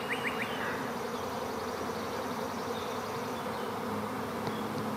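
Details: Bees in a swarm give a continuous, thick, low buzzing drone with no pauses, and a few faint bird notes above it.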